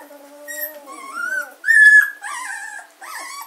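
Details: A 14-day-old German Shorthaired Pointer puppy at a gundog kennel, 24 August 2016, gives drawn-out tonal whines: a low steady moan rising into higher, sliding cries, then a loud shrill squeal and two shorter wavering whimpers.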